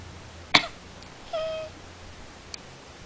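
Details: Domestic cat giving a single short, flat, tonal meow about a second after a sharp human cough, as if answering it; a faint click sounds later in an otherwise quiet room.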